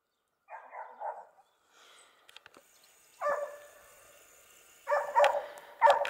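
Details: Barking from Dogue de Bordeaux kept at the Les Dogues de Plaine amateur breeding kennel: short bursts of rough, clustered barks separated by pauses, plus faint clicks and a person nearby.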